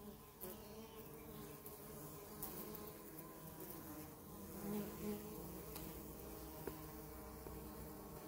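Honey bees hum steadily at close range, a low droning buzz with layered overtones.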